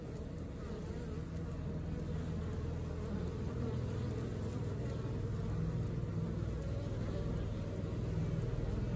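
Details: A honey bee colony going about its work: a dense, continuous low drone of buzzing that holds even and unbroken from start to finish, slightly swelling toward the end.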